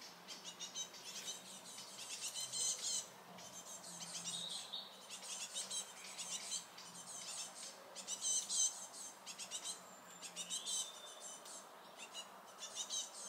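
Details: Small red squirrel noisily squeaking as another squirrel approaches, defending itself at its nut supply; rapid bursts of thin, high, scratchy squeaks and chatters come in clustered runs, several per second, throughout with short pauses.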